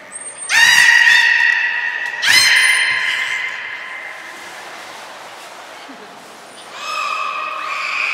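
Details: Belugas Hodoi, Taanya and Mirai during pool transfer and training at Port of Nagoya Public Aquarium, 23 February 2021: two loud, steady harmonic squeals about a second long, a quieter stretch, then further rising tonal calls.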